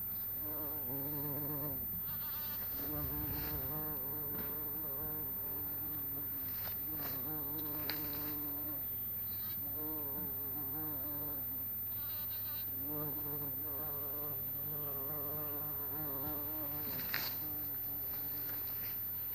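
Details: Bumblebee recorded on 26 April 2017 at 11:45, buzzing continuously with a wavering, rising and falling pitch as it moves about, over a steady low background hum with a few faint clicks.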